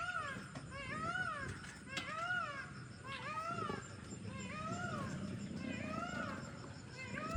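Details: Pair of wild leopards fighting by a road in Yala National Park, Sri Lanka; repeated arching, rising-then-falling harmonic yowls, about one per second, over a steady high-pitched background hum and low rumble.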